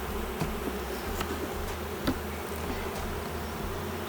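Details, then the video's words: Honey bees of a queenless hive becoming drone layers, with honey but no brood on inspection. A low, even hum continues beneath an intermittent deep rumble, punctuated by a few knocks and clicks. "C'est quoi une ruche bourdonneuse ? Je découvre avec vous que mes abeilles n'ont plus de reine..."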